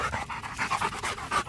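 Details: Rottweiler named Macho panting while playing fetch: rapid, breathy, even huffs repeating several times a second, close to the microphone.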